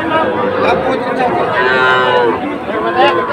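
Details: Small Sahiwal bull calves at the twice-weekly Ambari cattle market in Dinajpur, Bangladesh, in May 2024. Short, wavering moos repeat amid busy market chatter.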